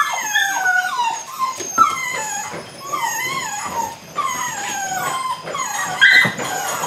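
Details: Belgian Malinois puppies aged 8 weeks, one litter, at the start of bite work; drawn-out whines that slide downward in pitch, one after another about every second, with a sharper high yelp near the end.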